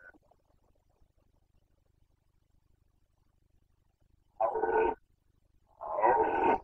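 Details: Bucovina's Carpathian stag in the 2021 rut, giving two loud, rough, harmonic roars of about half a second each, spaced over a second apart after a long silence.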